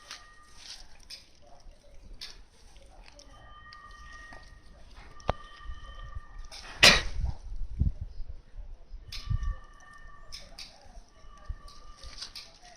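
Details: Shetland sheepdog puppy named Sherry, under five months old, giving high, drawn-out whines with clear overtones in bursts of about a second, pausing between them, with a loud thump near the middle.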